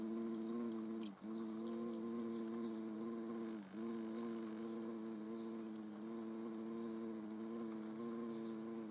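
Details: Steady, low droning hum of a hornet in flight, recorded during nature observation in the Eifel, holding for nine seconds with two brief dips in pitch as it swerves.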